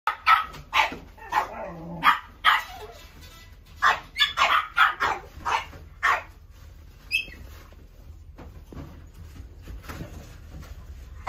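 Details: Dog at a pet shop barking in sharp, irregular bursts for about six seconds, some barks doubled, then falling quiet over a low steady hum and faint room noises.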